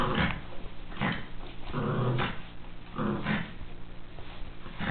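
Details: Miniature Pinscher romping in play: low throaty growls in rough pulses roughly once a second, with scuffling noises between them.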